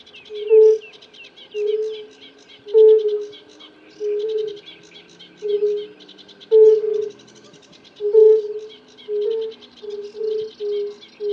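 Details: Mating chorus of several male European fire-bellied toads: mellow, low single 'oo' calls spaced about a second apart, some overlapping, while songbirds chirp continuously behind them.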